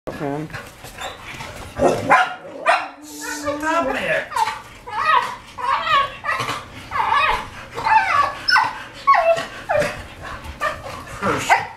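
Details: Several English Springer Spaniels, excited before their walk, give rapid, high, yelping barks in quick bursts, with a person talking and laughing between them.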